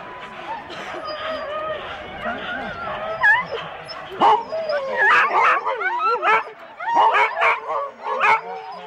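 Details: At a January 2016 Husky sled start in Rendlesham, on analogue cassette tape: murmured human voices at first, then the dogs break into loud wavering yelps and whining barks that build through the second half.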